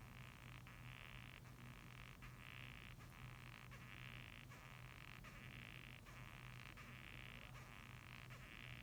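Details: Japanese rhinoceros beetle calling: quiet, rasping squeaks repeated in short bursts roughly every 0.7 seconds over a steady low hum.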